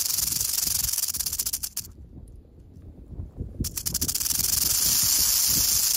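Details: Western diamondback rattlesnake rattling in western Oklahoma: a rapid, pulsing buzz that fades almost to nothing for about two seconds midway, then returns and swells back to a loud, continuous rattle.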